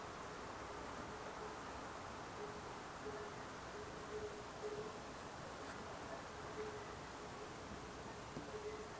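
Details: Insects and bees in the Alpstein massif, Switzerland, give a thin, mid-pitched buzzing hum that comes and goes in short passes throughout, set against a soft, even background hiss of quiet mountain air.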